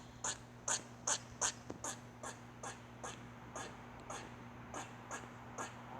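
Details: Squirrel making a strange sound: four loud, hissy chucks open the series, then quieter ones follow at a similar brisk pace and fade, over a low steady hum.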